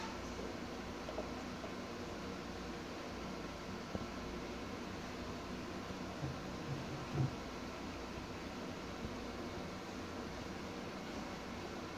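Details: Steady fan-like hum and broadband hiss fill a small indoor room, with a few faint rustles and soft knocks.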